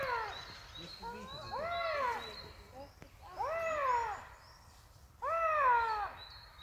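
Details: Eurasian lynx giving three drawn-out, meow-like wailing calls, each rising then sliding down in a harmonic arc, spaced a couple of seconds apart, with faint high thin tones in the background.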